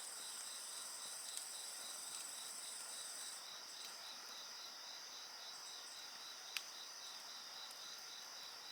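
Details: Insect chorus beside a bonfire: a steady high trilling band with a pulsed, beading chirp line just below it and a thin continuous hiss higher still, broken by a few sharp crackles from the fire.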